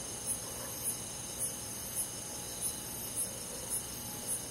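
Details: On a calm summer night in a rural forest, crickets give eight brief, piercing chirps at a steady beat of roughly one every 0.6 seconds, layered over a constant high whine from other insects.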